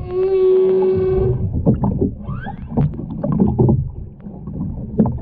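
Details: Underwater humpback whale song off the Ogasawara Islands, 23 February 2021, from a whale-watching trip with a mother, calf and escort. A brief harmonic tone opens, then gives way to scattered clicks, gurgles and water noise.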